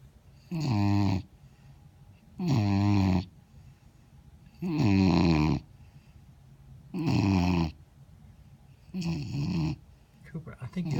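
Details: A Vizsla puppy, asleep after playing hard in the yard, snores in slow, rasping breaths, each under a second, about every two seconds.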